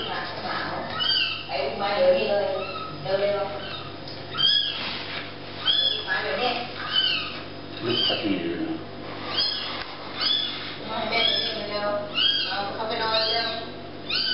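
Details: Kittens meowing repeatedly, a stream of short rising-and-falling mews with clear harmonics, several voices overlapping, calling almost continuously.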